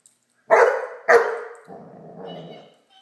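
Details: Great Dane puppy playing with a toy dog: two sharp, loud barks about half a second apart, then a lower, rough, drawn-out growl-like rumble that fades out in a quiet room.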